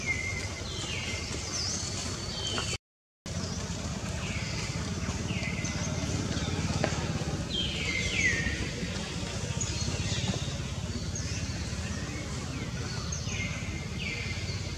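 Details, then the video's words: Frightened young monkey Jody, living wild around Angkor Wat in Cambodia and taken for the first time, cries again and again for mother Jane: rapid series of falling squeals, some doubled, over constant engine and crowd hum. "Pity Jody call and call mom Jane help, Jody feels scare and first time kidnapped."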